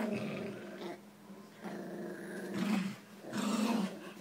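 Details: Low, vibrating play growls from Jack Russell Terriers Jax and Rosco tugging a toy, rising into two stronger rumbling swells near the end.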